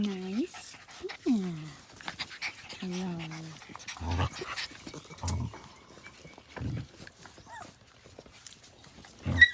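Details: Blue Heeler puppies at play, opening with three falling whines, then a series of low, gruff growl bursts spaced about a second apart.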